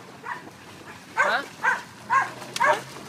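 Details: Dog at a dog park barking in a series of four short, clipped barks about half a second apart, led by a faint softer yip, with a sharp click near the end.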